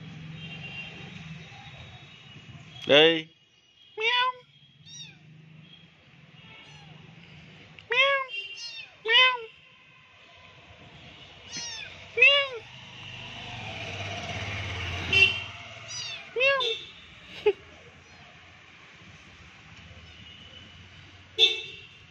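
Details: Several kittens meowing in turn, with short high meows that rise and then fall, separated by quiet gaps, while a person speaks softly in the background.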